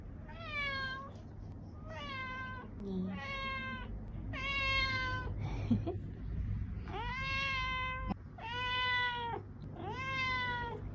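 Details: Domestic cat calling with a run of seven loud meows, meant to make a cat come, each a long rising-falling harmonic cry about one second apart, with a low background hum throughout.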